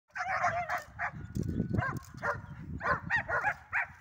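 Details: Belgian Shepherd named Horvat at a training session on 31 March 2024, during first runs, gives a rapid series of loud barks and yelps, about a dozen in four seconds, with low background rumble.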